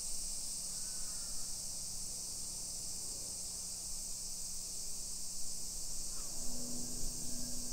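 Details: Summer cicadas in a modern hillside residential neighborhood of Nisshin, near Nagoya, Aichi Prefecture, Japan, at 1 PM on 28 July 2021: a continuous high, hissing drone fills the air, with a low steady hum and a short call near the end.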